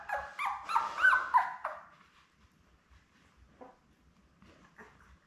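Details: Newborn Labrador Retriever puppies, a litter of seven born May 24, 2021, with their mother Belle on a livestream puppy cam: a burst of high, wavering whines with rising-and-falling squeals over two seconds, then soft scattered squeaks.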